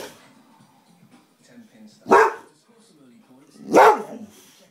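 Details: Pet Boxer dog being boisterous in rough play: two loud, gruff barks roughly 1.7 seconds apart, with low grumbling noises in the quieter stretches around them.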